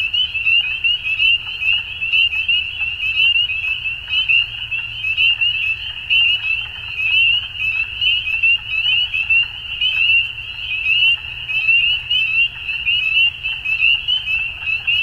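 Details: Dusk in spring in Ontario, Canada, where a crowd of frogs keeps up a continuous chorus of brief, high, upward-sliding peeps layered over one another, with a low rumble beneath.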